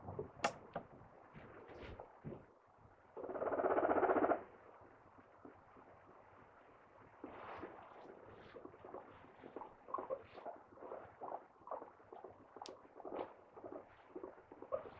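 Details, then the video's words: A 2.5-year-old female pet guinea pig from a rehoming gives one brief, loud squeal early on, followed by a long stretch of soft rapid clicks and rustling movement sounds. "モルモットの鳴き声の意味！ The meaning of guinea pig voice"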